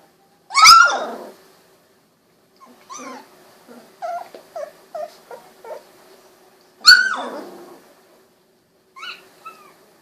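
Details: Golden Retriever puppies, 16 days old with eyes recently opened, wiggling and walking around; two loud, high, downward-sliding cries about six seconds apart, with a string of soft short whimpers between them in a quiet room.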